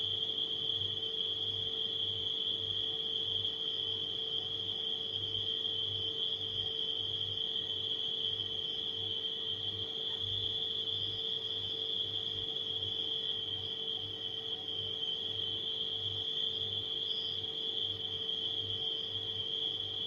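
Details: A dense nocturnal cricket chorus rings as one sustained high whine, with occasional brighter chirps, while a refrigerator drones and throbs softly at low pitch throughout.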